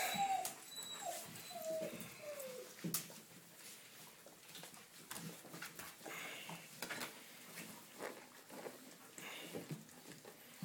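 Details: Seven-week-old red rust Doberman Pinscher puppies from one litter, indoors, giving short high whimpers that slide downward in the first three seconds, followed by scuffling and handling noises in a small room.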